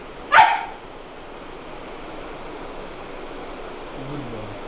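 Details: Male Boxer dog during an obedience training session, giving a single sharp, loud bark right at the start, followed by near silence with a faint low hum of background noise and a soft low sound at the very end.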